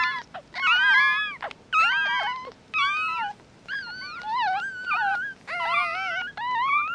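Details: A litter of newborn mixed-breed puppies, eyes not yet opened, squeals in rapid, overlapping whines, some arching upward and some falling, roughly one cry a second with short silences between bursts.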